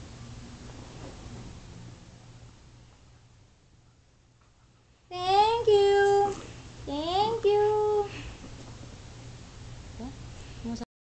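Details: Indoor dog "talking": about five seconds of quiet room hum, then a sudden drawn-out harmonic moan that wavers and holds its pitch, followed by a second rising-then-level call before it cuts off.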